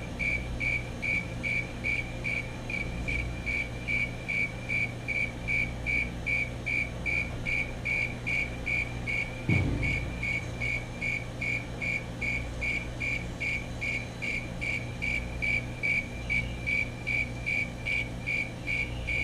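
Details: Fulton's tree cricket male in song, a regular pulse of clean high-pitched chirps about two and a half per second, one brief low thump near the middle, steady low hum underneath.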